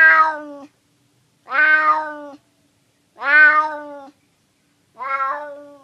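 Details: Four long, nasal meows from a hungry stray cat in San Francisco, each close to a second long with a flat, slightly drooping ending, spaced about 1.7 seconds apart in an otherwise silent setting.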